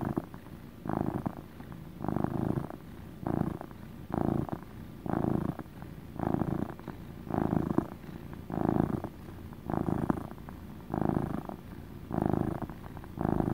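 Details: Close, rhythmic purring from a male house cat: a coarse, throbbing rumble repeated about once a second, twelve or so even breath-cycles in a row with little else audible.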